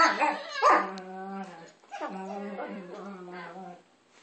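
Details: While playing, Maya and Izzy call back and forth. One dog gives a quick yip, then drawn-out, wavering howl-like moans that fade at the end.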